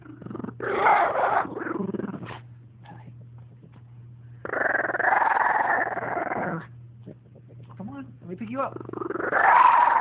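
A French bulldog gives drawn-out, rasping growls and grumbling whines, protesting at being picked up. A person talks to it between the growls, and a steady low hum runs underneath.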